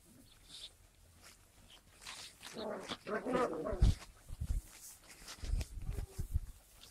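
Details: Skye Terrier puppies recorded on 5 June 2016: after quiet rustling, a rough, harmonic, whining cry rises for about a second and a half, followed by dull low thumps and handling noises.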